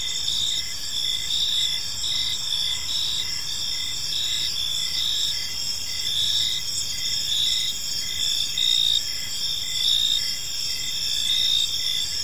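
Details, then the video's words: Crickets chirping on an evening in a peaceful park: a dense, steady high-pitched chorus of shimmering trills, with louder pulsed chirps swelling roughly once a second over a faint low background hum. "Park Serenade: Cricket Sounds in a Peaceful Park"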